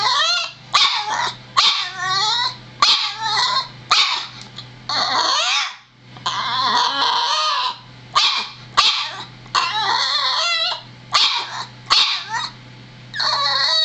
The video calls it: Boston Terrier barking